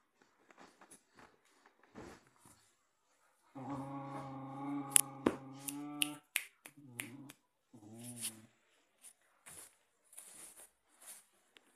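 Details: Two dogs, a Samoyed and a white Husky named Alpha and Odie, play tug with a toy. A steady low harmonic growl lasts about two and a half seconds, then two shorter wavering growls follow, amid clicks and scuffling.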